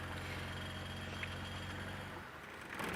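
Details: A vehicle engine hums steadily with low rumbling and no animal calls. A faint rustle and a brief shift in the engine note come near the end.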